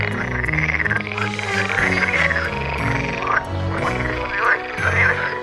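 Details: Edible frogs, a type of water frog, in a courtship chorus recorded outdoors with a Canon G7X. Rippling croaks rise and fall in bursts about every second, over a steady waltz tune with deep bass notes.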